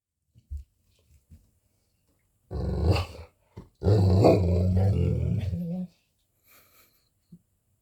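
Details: Golden Retriever Aloha during its lunchtime meal routine indoors, giving a long, low rumbling growl-like vocalisation lasting about two seconds, preceded by a shorter burst and scattered soft clicks in a quiet small room.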